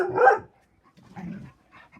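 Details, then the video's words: Dog 'talking' during play with other dogs: one loud drawn-out yowling howl, then softer grumbling mutters and a brief faint whine, in a quiet room. "saying hello that turns into puppy talking"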